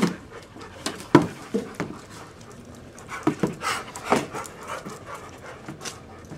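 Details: Panting from one of a family's big dogs (Siberian Husky Nami, mutt Duke, arthritic Duchess), indoors. Irregular bursts of hoarse, airy breaths, some louder and sharper, with short pauses between runs.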